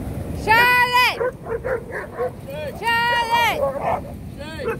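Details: Rhodesian Ridgeback giving two drawn-out, tonal howling cries that rise and then fall, each about a second long. Short yips and broken vocal bits come between them, and a third cry begins at the end.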